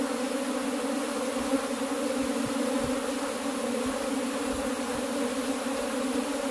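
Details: Cultivated honey bees hum continuously, a thick droning chorus holding two steady pitch bands throughout, broken only by scattered soft low thumps.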